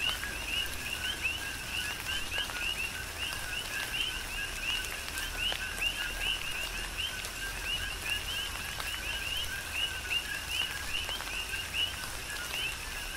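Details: Coqui frogs in tropical rain on Hawaii's Big Island keep up an unbroken chorus of rapid, high, rising chirps, many callers overlapping, beneath which rain falls steadily with soft patters and drips.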